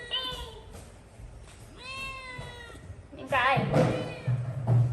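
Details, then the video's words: Domestic cat screaming: two drawn-out, wavering meow-like wails with rich harmonics, each lasting under a second, then a louder, rougher cry near the end, over background music and people talking. "Cat is very good at screaming"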